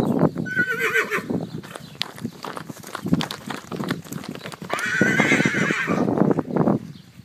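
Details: Percheron horse, a one-year-old filly, whinnying twice: a quavering high neigh at the start and a longer, louder shaking whinny midway, amid busy hoof clops and movement noise.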